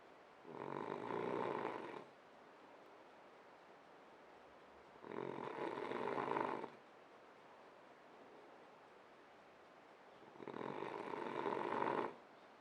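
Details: Sleeping French Bulldog snoring: three broad, rasping breaths roughly every five seconds, each lasting about one and a half seconds, with quiet pauses between.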